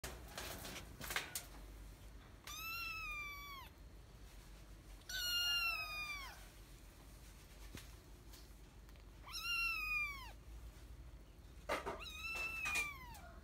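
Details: Kitten (Felis catus), meow.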